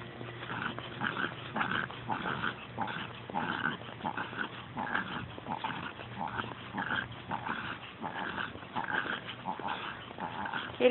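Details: A 7-year-old female Pekingese, over-stimulated on a walk, pants rapidly in a steady, wheezy rhythm of about two breaths per second.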